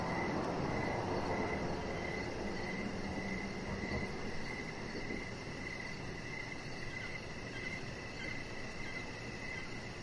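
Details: Evening crickets heard from a deck: steady rapid chirps repeating without pause, a thin high pulsed trill over them, and constant low hiss and rumble underneath.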